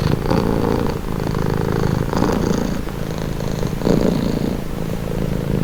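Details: Purring house cat: a rough, buzzing low hum pulsing rapidly. Breath phases are clearly audible, a stronger burst and a softer one repeating about every one and a half seconds.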